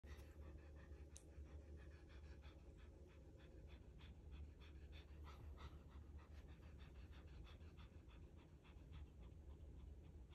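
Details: Siamese cat (Felis catus), dog-like panting.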